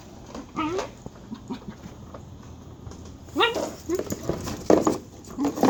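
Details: Dagger, a pet dog, making odd sounds likened to a chicken: scattered high, rising squeaky yelps and short whines, a burst near the start and a cluster after three seconds, with quiet room noise between.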